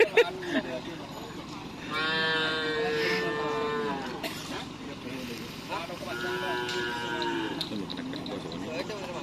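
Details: Two drawn-out, tonal moos, each about two seconds with a slight fall at the end, from Madura cattle during karapan sapi bull-racing practice in Pamekasan, with crowd murmur and distant noise between calls.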